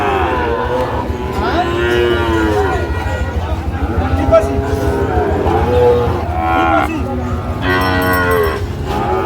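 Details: Young Sahiwal bull calf bought at a cattle market by a farmer from Comilla, Bangladesh: drawn-out nasal moos, several in a row, over a loud crowd hum and voices of buyers.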